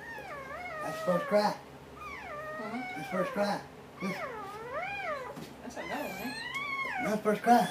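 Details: Dobermann in labor, giving birth to puppies: a series of high, wavering whine-like cries that rise and fall, several in quick succession roughly every second, with faint human voices in the background.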